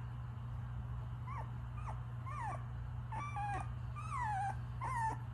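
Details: Pomsky puppies piled together, giving short squeaky whimpers and yips at irregular intervals, several bending up then down, over a constant low hum.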